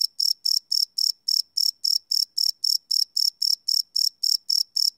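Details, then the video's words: Live nighttime recording of crickets on a Sony PCM D100, unlooped; crisp, high-pitched chirps arrive in an even rhythm, about eighteen within five seconds, in otherwise quiet surroundings. "Cricket Chirp Sound - Cricket Sounds at Night"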